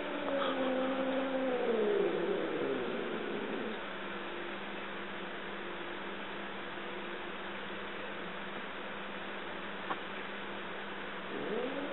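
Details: Mia, a two-year-old Siamese cat, living with a four-year-old dog during a stalking game, gives a long drawn-out meow that slides downward over about three seconds, a brief rising note near the end, steady indoor hum beneath.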